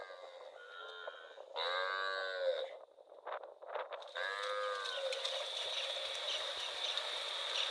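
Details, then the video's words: Cow wandering in rural rice fields, giving two drawn-out, harmonically rich moos, one lasting about a second and a later shorter one, with brief low grunts between them, followed by a steady high hiss of background noise. "Cute cow wandering in rural rice fields - Funny cow sound"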